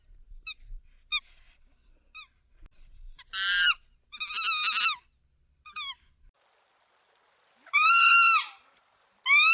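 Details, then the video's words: Chimpanzee vocalising: faint, thin, high notes spaced about half a second apart, then loud, harsh, harmonic screams in separate bursts; quiet pauses lie between the bursts. "Chimpanzee sounds"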